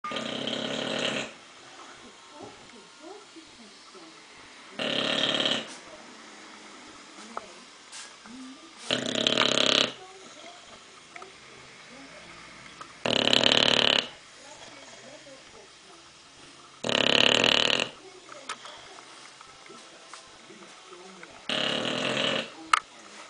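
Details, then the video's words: A sleeping English bulldog snores loudly in slow, rasping bursts roughly every four seconds. "Our english bulldog Joe snoring"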